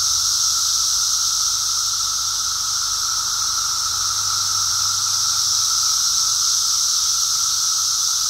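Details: A Brood X periodical cicada emergence: the chorus holds an even, unbroken whine over a sizzling high hiss, recorded on a walk.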